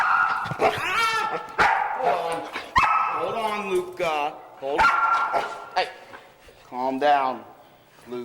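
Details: Luca, a foster dog known for being very talkative, gives sustained, steady-pitched howl-like notes and short bent yips in several bursts, while a person talks to him and music plays faintly.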